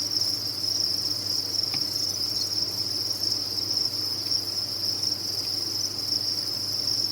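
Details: A mass of crickets on a cricket farm sings an uninterrupted high, ringing chorus. One brief click stands out near the start, and a low hum runs beneath.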